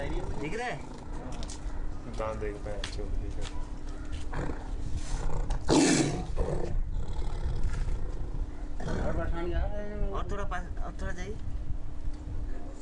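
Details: Tiger roaring in provoked aggression while people bother and disturb it at close range; one loud, deep, broad roar bursts out near the middle, with men talking in Hindi throughout and other low growly rumbles.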